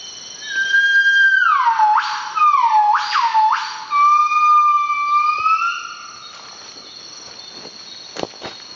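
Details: Northern buff-cheeked gibbons (Nomascus annamensis) sing at early morning around sunrise in Veun Sai-Siem Pang Conservation Area, northeastern Cambodia. Pure whistled notes slide down, then swoop sharply upward; the male sings most and the female joins a brief duet.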